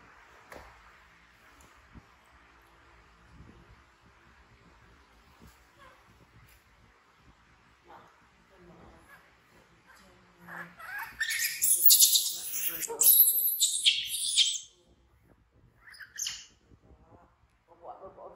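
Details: Orphaned infant monkey BEAN, frightened and fleeing to hug Poppy Brown, lets out a sudden burst of shrill, harsh screaming lasting about four seconds after a long quiet stretch, followed by a few shorter high cries.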